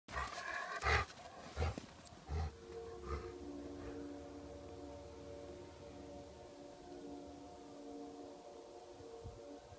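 A Miniature Schnauzer gives a long, steady, wavering howl in answer to a fire truck siren.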